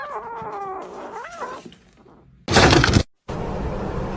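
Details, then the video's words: Kitten meowing: a couple of short wavering mews with stacked harmonics and a rising-falling note in the first second and a half, followed by a loud burst of noise and music. "Kitten meowing"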